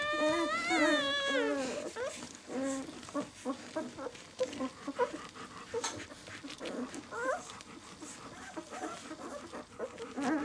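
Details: Six-day-old White German Shepherd puppies from the "of White Night" B litter: a long, wavering, high harmonic whine opens, followed by shorter scattered squeaks amid a busy, cluttered background.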